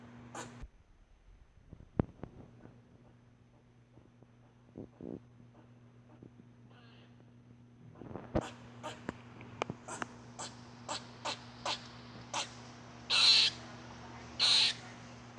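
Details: Squirrel making an unusual noise: after quiet, scattered clicks, a run of sharp ticking clicks every second or so, then two longer harsh, hissing bursts near the end, over a steady low electrical hum.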